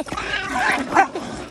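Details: Poodles in South Korea squabbling over the best spot give overlapping high, whining yelps and squeals with rising and falling pitch, one sharper peak midway, after a person repeatedly tells them in Korean to go in.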